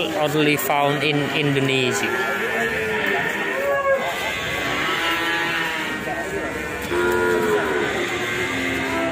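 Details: Ongole cattle from Indonesia, drawn-out lowing moos with rich harmonic bands, several overlapping, over steady background music throughout.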